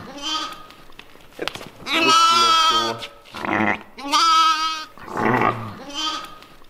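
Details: West African dwarf goats bleating on a farm in October 2020: a faint cry first, then three loud, shaky, nasal bleats about a second long each. Soft rustling is heard in between.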